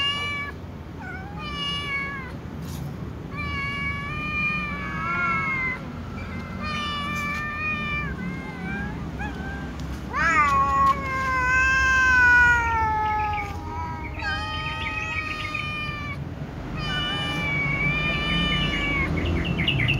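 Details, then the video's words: Loud meowing from little cats and a tom cat before eating: many overlapping drawn-out rich-toned meows, some falling at the end, several cats calling at once almost without pause. "little cats and tom cat often meow loudly before eating"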